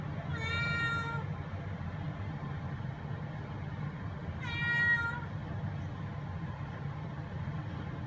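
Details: Young mackerel-and-white tabby cat Eva, three to ten months old, lets out two drawn-out, bright meows about four seconds apart over a steady low rumble.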